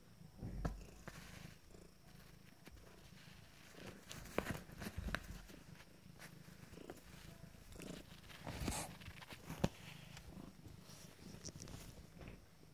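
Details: Abyssinian cat kittens, 14 days old, from a first litter, resting indoors; a low, steady purring rumble runs throughout, broken by soft rustles and taps of movement.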